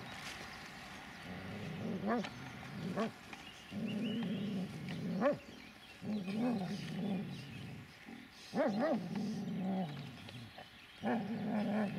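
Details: An 11-year-1-month-old Dobermann growls in low, rumbling stretches of a second or two, broken by occasional short sharp barks, over a faint constant background hiss.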